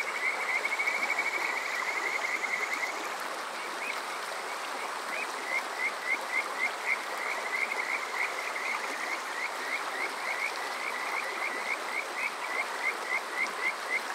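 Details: Kajika frog calling on a summer night at Yokoze, Chichibu, Saitama, Japan; several high, clear rising notes repeated rapidly, about three or four per second, first in a fast trill then in spaced chirps, over a steady rushing stream.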